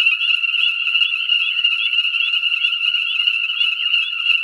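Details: Ornate chorus frogs (Pseudacris ornata) call together in a dense, unbroken chorus of high, ringing peeps at a breeding pool in Conecuh National Forest, southern Alabama, on New Year's Day 2017; air about 67 F, light rain, pool refilled within the previous 24 hours.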